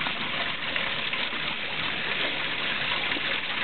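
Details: Constant hiss of falling rain and splashing water outdoors, with no animal voices.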